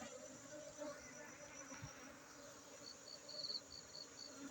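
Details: Honey bees at a honey bee centre in Aceh: a continuous low droning hum with faint overtones, a thin high insect trill throughout, and a few short high chirps in the second half.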